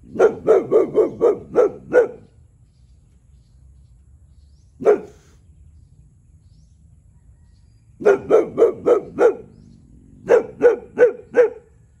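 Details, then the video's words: 1-year-old male Boxer dog barking territorially at a neighbouring cow: rapid bursts of five or six deep, sharp woofs with quiet gaps between. "Boxer dog barking telling cow to shut up"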